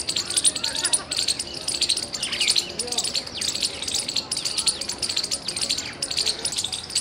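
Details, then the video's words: A squirrel chirps loudly, recorded 17 February 2021: repeated volleys of high, dry, ticking chips roughly every second, over quieter swooping bird notes and a faint low murmur. "Loud squirrel chirping sounds"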